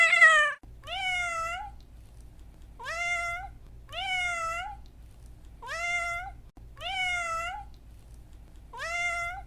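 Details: Domestic cat meowing: a brief harsh note, then a run of short, clear meows that rise and level off, repeating about every one and a half to two seconds over a steady low hum.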